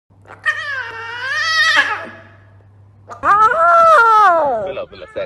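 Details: A young circus lion cub kept as a pet gives two drawn-out, meow-like yowls that rise and then fall in pitch, an attempt at a roar.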